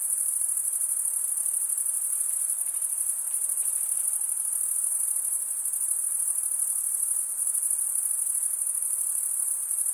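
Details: Chirping crickets make a constant piercing high-pitched buzz of fast pulses that stays level and uninterrupted for the whole stretch, with no other animals or background noise.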